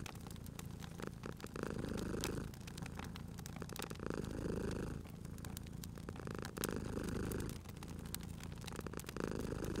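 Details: A cat's deep, continuous purr, pulsing with each breath in and out about every two and a half seconds, set against a fireplace's crackling fire and its frequent sharp snaps.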